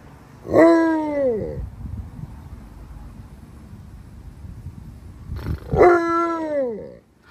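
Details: Upset over a dirty green pool, Alaskan Malamutes Tonka and Monroe let out two rich, downward-curving howls about five seconds apart, with a steady low background hum between them.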